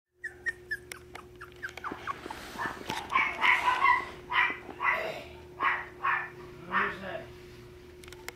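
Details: Beagle siblings at a pet shop in Nara give a run of short, yelping barks with a few whimpering notes.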